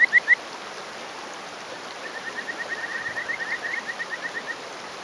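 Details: Male Kajika frog on a rock in rural Hofu, Yamaguchi, Japan, May morning; three loud whistled notes open, then a soft, quick run of faint chirps against continuous flowing stream noise.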